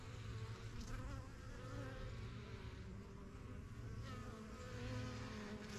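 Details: Honey bees around their yellow backyard hive, the strongest of several new hives from spring 2023, coming and going as they learn the area; dense low buzzing with overlapping wavering wingbeat tones throughout.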